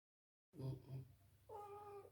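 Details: Sleepy pet cat being carried indoors, making baby-like sounds: two short low murmurs, then a longer steady meow with a flat tone near the end.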